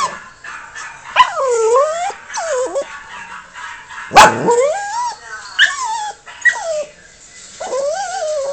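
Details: Yorkshire Terrier at home reacting to dogs heard in videos on a screen: repeated nasal whining yelps that dip and rise in pitch, with one sudden loud bark midway and more whimpers after.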